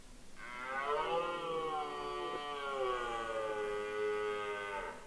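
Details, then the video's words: Red deer bellowing in the rut, Mont-Lozère in the Cévennes National Park, France, 2016. One single, long, steady, harmonic roar lasts about four and a half seconds, then fades out at the end. "Le brame du cerf sur le Mont-Lozère"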